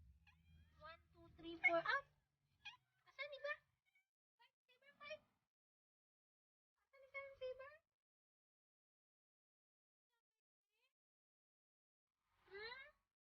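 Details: Little kittens giving a series of brief, high, harmonic mews spaced by quiet gaps, some rapid and stuttering, ending with one rising cry after a long silence; faint low rumble at the start.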